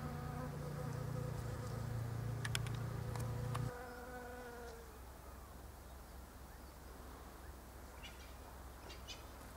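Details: Bees foraging in pink Japanese quince blossoms by day: a loud, low, steady droning buzz with rich overtones holds for about four seconds, then cuts off as the bee leaves, leaving quiet background with faint scattered ticks.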